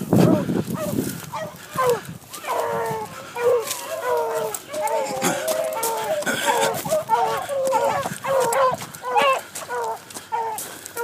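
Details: Several young dogs on the trail of a cottontail rabbit bay in a dense chorus of ringing, wavering yelps, roughly one or two calls each second, loudness rising and falling as the pack moves.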